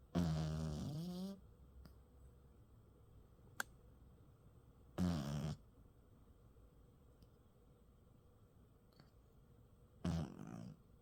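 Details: A sleeping Maltipoo dog snores indoors. Rough, low, rasping breaths come roughly every five seconds: one longer snore, then two shorter ones, with quiet room tone between them.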